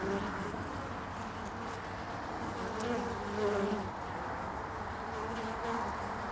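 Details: Hive traffic of honeybees at the landing board in early spring, 22 February 2019. Continuous many-winged humming with drifting wing tones, rising a little in loudness around the middle.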